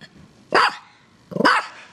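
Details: Playful female dog, six years old, giving two short, harsh barks roughly three-quarters of a second apart against near silence.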